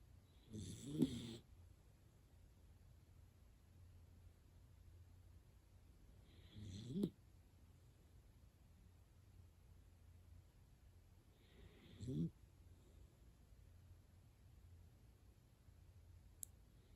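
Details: Dachshund Hana-chan sound asleep, snoring like an old man: three coarse, buzzing snores at a steady pace of about one every five to six seconds, quiet breathing between, a tiny tick near the end.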